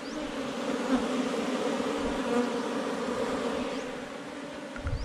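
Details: Forest honey bees swarming around a rock-sheltered hive as it is collected: continuous low, even buzzing with a strong fundamental and higher overtone, with faint scattered rustles.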